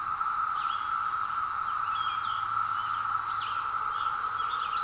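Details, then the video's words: Seventeen-year periodical cicada chorus across woodland, captured from a hill on a Zoom H2; an unbroken, even, mid-pitched drone fills the air while small birds chirp and twitter faintly over it. "Cicadas Arrive After 17 Years | Sounds"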